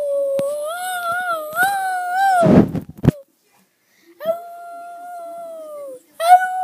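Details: Pet dog Maisy 'talks' with a sound like 'Ralph': a long, sustained, gently wavering howl-like tone, a short thump and pause, then another steady tone sliding down at its end.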